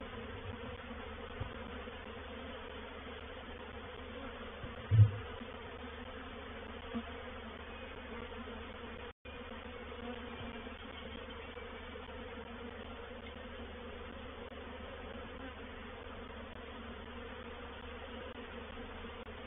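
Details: At Painted Peacock Manor on 04/07/21, a reproductive swarm of honey bees settles into a bait hive, giving an even, sustained low hum, with one sharp close pass early and a short dropout midway.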